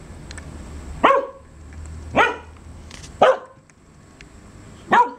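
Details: Four loud, abrupt dog barks at irregular intervals of roughly one to two seconds, each a short harsh burst with a brief tonal tail, against low steady background noise.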